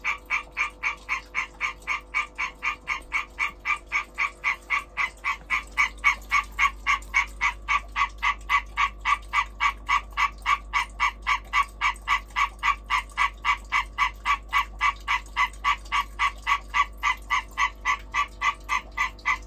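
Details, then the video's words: A European tree frog calling in the breeding season gives a fast, steady run of loud, harsh, nasal pulses, several each second. "Hyla arborea European green tree frog breeding calling behaviour"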